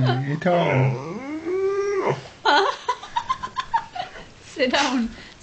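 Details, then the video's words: Woods, a pet dog asking for his food indoors, makes a long wavering moan that slides up and down like speech, followed by a series of short clipped grunts and a final rising yowl; a person's voice mixes in. "Funny Dog Trying to Talk and Sneeze for his Tea"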